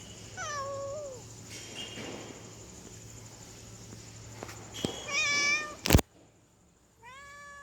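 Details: Domestic female cat in heat calling a tomcat: a long falling meow opens, then quiet, a sharp knock and a loud bright yowl around five seconds, a brief cut, and a final rising meow.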